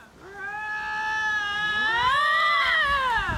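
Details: One of two lynx yelling at each other in a fight, recorded in Ontario east of Canora, gives a long, wavering yowl that rises and bends in pitch, like an exaggerated cat wail.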